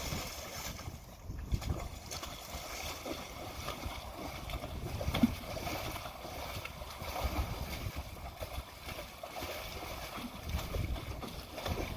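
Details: Wind buffeting and rumbling noise with faint distant voices, no animal calls.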